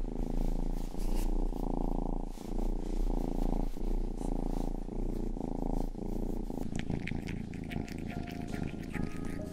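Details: Close indoor ASMR purring by Rangi, the youngest house cat: a loud continuous low rumble in rhythmic breath cycles, giving way near the end to wet licking and crackling grooming sounds over a quieter purr.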